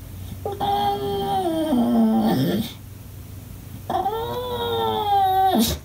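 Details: Two sustained whines from an English Bulldog upset at not being played with, each gliding down from a bright nasal tone to a low groan, the last ending in a brief yelp.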